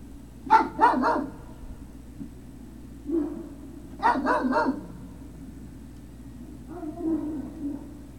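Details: Great Dane puppies at Puppy Hill, 03-06-2019, late afternoon, barking in sharp clustered bursts of two or three yappy barks, then quieter whining yips near the end, with a low hum underneath.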